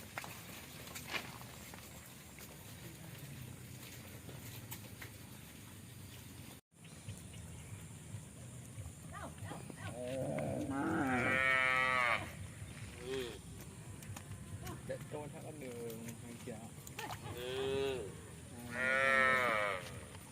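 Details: One of several tame cows roaming a village field gives two long, drawn-out moos, rising and then falling, after a quiet outdoor stretch.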